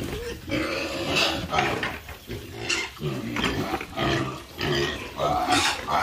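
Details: Farm pigs giving a rough stream of grunts and short squealing bursts, each a second or less, rising and falling in a restless, uneven rhythm with no clear pause.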